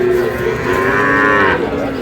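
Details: At the opening of Ambari market in Dinajpur, Bangladesh, on 11 May 2026, where Sahiwal bull calves are bought and sold, a long, full, harmonic-rich moo fills two seconds and swells slightly near the end over market chatter.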